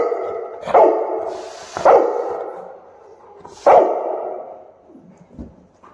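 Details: Cane Corso Tyson barks at home amid balloon decorations for his second birthday: three loud, deep, resonant barks about a second or more apart, each fading into room echo, with faint rustling in between.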